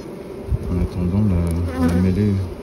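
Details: Honey bees grappling with a European hornet at the hive entrance in an ongoing melee; loud, steady, low-pitched harmonic buzzing drone that wavers slightly in pitch, with a soft man's voice in the background.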